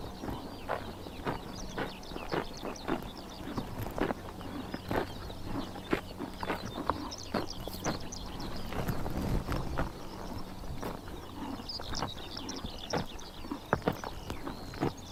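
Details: Grazing horses on a summer morning in Mongolia's Tuv province tear and chomp grass in dense, rapid crunches, several per second, over a faint, steady low hum.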